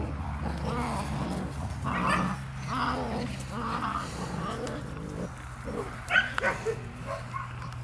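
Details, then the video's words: Two-month-old puppies of a litter playing with their mother, giving short harmonic yips and whiny barks in bursts about every second, over a steady low hum in the background. "V litter DarkFall play with mother (2 months)"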